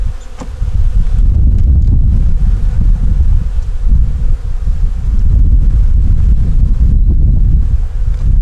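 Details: Honey bees in a nuc colony with a yellow queen, checked during a winter hive inspection with eggs and brood in the top box: a dense, steady low buzz with a faint hum band above it and handling rumble.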